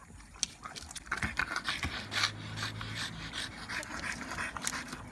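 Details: French Bulldog after a hot-day walk, panting in quick breathy bursts with a brief snort-like sound and a low hum in the background.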